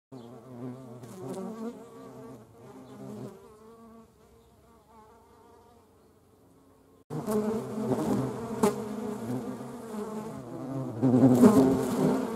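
A hornet's deep, droning wing buzz, rising and falling in pitch as it flies close.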